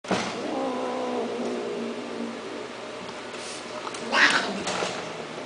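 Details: Persian cat offered for sale at a cattery: a drawn-out, wavering meow fills the first second, followed by quiet room noise, a short rustling burst near the fourth second and faint background voices.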